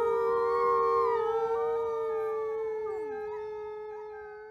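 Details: Captive-born gray wolf at a conservation center holds a steady, level howl throughout. Other wolves' higher, wavering howls weave over it before the chorus slowly fades.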